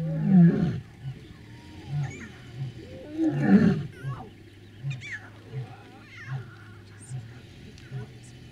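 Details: Male lion roaring near lionesses and young cubs in Maasai Mara, Kenya, 2014. Two powerful rising roars are followed by a series of shorter grunts spaced under a second apart that grow softer, with scattered bird calls behind.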